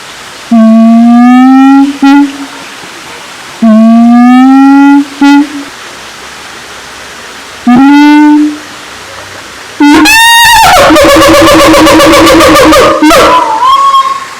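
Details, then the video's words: Siamang in Taman Kyai Langgeng, Magelang, Indonesia: three rising tonal whoops spaced a few seconds apart, then a sudden loud burst of rapid, harsh, pulsing barks lasting about three seconds before ending on a short tone. "suara asli siamang kera gondok"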